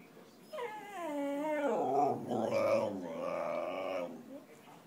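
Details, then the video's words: Hungry whippet begging for food, giving a drawn-out, wavering, voice-like moan that slides down in pitch, then swells into a rougher, warbling howl, about four seconds long, indoors with no other clear sounds. "Whippet falando"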